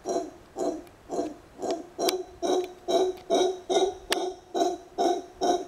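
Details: Kept mantled howler monkey, known as a congo, calling while a man talks with it. It gives a steady run of about eleven hollow, hooting grunts, roughly two each second and evenly spaced.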